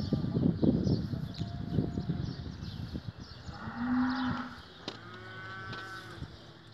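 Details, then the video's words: Damietta cattle at the Sirw animal production research station, Faraskur, Damietta, Egypt, recorded 16 April 2017; a low drawn-out moo near four seconds, with a tonal overlay, amid clatter and knocking sounds of the barn. "الأبقار الدمياطي"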